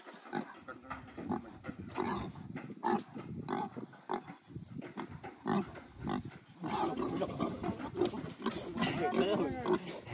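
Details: Free-roaming pigs being caught in a forest to be sold to traders: harsh, broadband squeals and grunts in irregular bursts, overlapping with people talking and scuffling.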